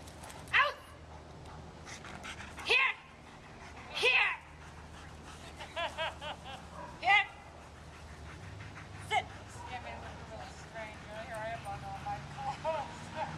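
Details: German Shepherd giving four loud, abrupt barks in the first seven seconds, irregularly spaced, followed by softer vocal sounds and human speech against a constant low hum.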